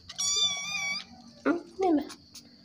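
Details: Motherless kitten whining to be fed, repeating 'meong meong' indoors: one long, steady, high-pitched, harmonic-rich cry lasting nearly a second, then a woman's voice speaks briefly.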